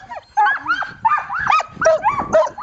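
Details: Excited Samoyed team harnessed for a cold January dryland carting run, barking and yelping in overlapping bursts with some high whining notes, while a man talks quietly in the background.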